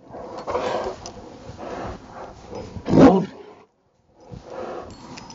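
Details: Rottweiler playing in the snow in Maryland on a Saturday afternoon, December 19, 2009: rough, breathy growling bursts, with one loud harsh burst about three seconds in, then a brief silence and softer growls.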